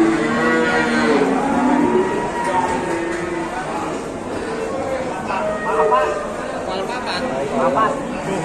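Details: Very large Indonesian cow watched by many people gives a long, low lowing moo in the opening seconds, then quieter bellows fade into crowd murmur with clicks and knocks.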